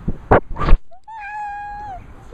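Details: Pet cat giving one long, level, clear meow lasting almost a second, after a few soft thumps and rustles, with a short, faint chirp at the very end.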